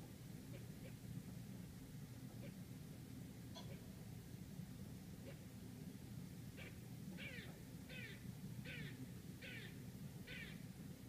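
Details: Squirrel barking outside an apartment in Manhattan, New York City: faint chips at first, then a run of six harsh, rasping barks about one per second in the second half, over a steady low city traffic hum.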